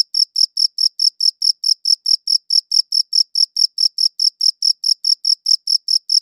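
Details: High-pitched cricket chirps, crisp and rhythmic, repeated roughly 140 times a minute in an unbroken series; clean high-quality recording with no background noise.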